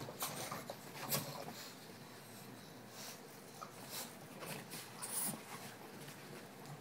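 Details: Bulldogs at play indoors, giving short snorting, wheezy grunts in scattered bursts, with rustling and thumps of movement between them.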